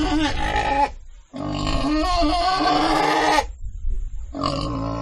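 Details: Pig letting out a long, loud, harsh squeal lasting about two seconds, wavering in pitch, framed by shorter rough calls.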